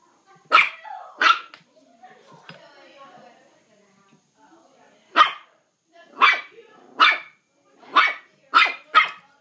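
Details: Mal-Shi puppy indoors, playfully fighting a fireplace broom: two sharp high barks early, a stretch of faint scuffling, then five more loud, abrupt barks in quick succession near the end.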